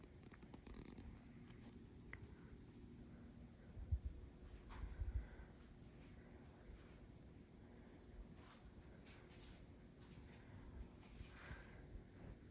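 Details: Sphynx kitten getting sleepy, purring in a low, steady rumble throughout, with occasional faint clicks and rustles over a quiet indoor background.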